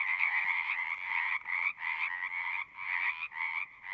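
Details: Chorus of singing frogs in bursts of rapid trilled croaking, each lasting under a second, separated by short gaps and overlapping callers.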